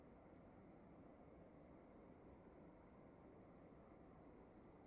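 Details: Crickets in a room giving brief high-pitched chirps, roughly three per second, with two slightly offset callers interleaving, above a constant soft low rumble and hiss.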